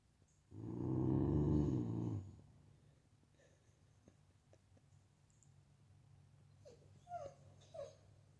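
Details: American Bully growling at its reflection: a long, deep, rumbling growl of about a second and a half, then quiet. Near the end come a few soft, high whine-like squeaks and light movement noises.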